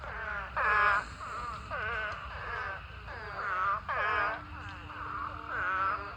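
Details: Spadefoot toads in a huge mating swarm, thousands filling a pond, calling in a dense chorus: overlapping moaning, wailing notes about a second long, some falling and others rising, rolling on without pause.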